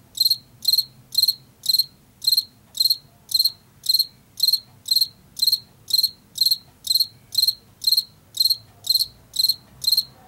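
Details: Washington field cricket chirping in an even rhythm, roughly two bright, high-pitched pulsed chirps every second, repeated without pause over a quiet low background rumble.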